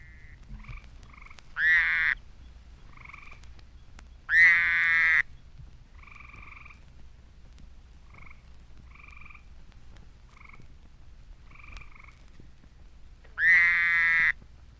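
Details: Fowler's toad recorded April 13 near Statesboro, Georgia, gives short, nasal, buzzy bleats. A tree toad also calls, with brief trilled notes between them.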